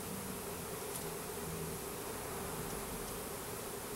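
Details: Russian/Carniolan hybrid honey bees, a package of about 10,000 workers with one queen, being installed into a new hive in April 2012. A steady, dense low hum with a faint droning tone holds throughout under a broad hiss.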